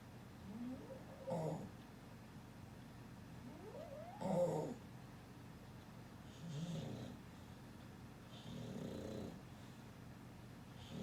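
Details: Dog asleep after a long stretch of play, snoring in four soft, breathy bursts about two to three seconds apart, some with a faint rising whine, over a steady low background hum.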